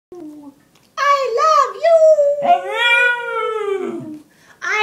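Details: Winston, a three-year-old Pug-Shih Tzu mix that likes to 'say' I love you, gives a drawn-out, howl-like tone indoors in a small room, rising, then sliding slowly lower across several seconds after a few short clipped yelps.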